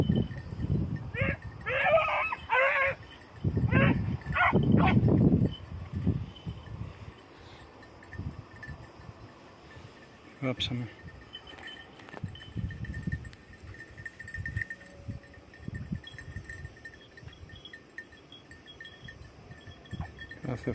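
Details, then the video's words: Hare-hunting practice with tick-coated and lemon-white beagles on Crete in 2022. A rapid cluster of high, wavering bays and yelps opens the clip, then fades to scattered faint knocks, rustling and low rumble. "2022 hare practice redblue tick lemon white beagle crete Island , μπιγκλ εκπαιδευτικο κρητη 2022"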